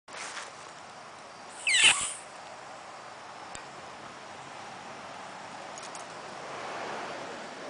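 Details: Norway rat removed from a home in Old Saybrook, Connecticut, during raccoon and skunk removal work, lets out one brief, sharp, high squeal just before the two-second mark. A steady quiet hiss and a few faint clicks fill the rest.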